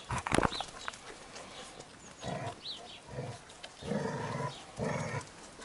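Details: Labrador Retriever puppies reacting to the smell of milk: a series of short, high, nasal whines and squeaks in bursts about a second apart, over a noisy background with scuffling.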